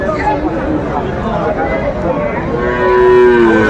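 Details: At a Faridpur livestock market where Sahiwal bull calves are traded, one calf gives a short, level, tonal moo near the end, after a stretch of crowd murmur and haggling voices.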